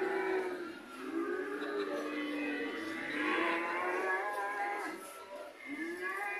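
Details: A herd of white cows calling together, overlapping sustained moos that slide gently up and down in pitch, one voice ending with a rising call.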